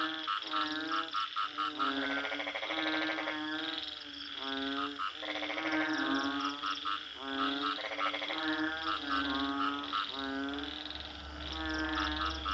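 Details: Several frogs croak together in long pulsed, rattling bursts of about a second each, rising and falling in loudness, layered over a steady low droning hum.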